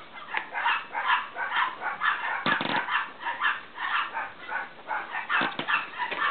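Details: A litter of Cavalier King Charles Spaniel puppies from Danny and Daisy, one growing sleepy, squeaking in quick, uneven bursts of high, thin whines, with a brief harsher scuffle in the middle.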